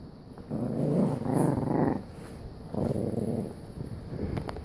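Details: Jack Russell Terrier with OCD gives a gravelly growl lasting about a second and a half, followed by a quieter pause and then shorter, softer rumbling growls.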